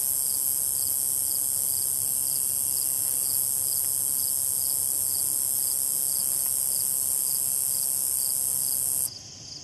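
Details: A Slightly Musical Conehead (Neoconocephalus exiliscanorus) stridulates at Assabet River National Wildlife Refuge, Maynard, Massachusetts: a high continuous buzz carrying a steady pulse of rapid lisping notes.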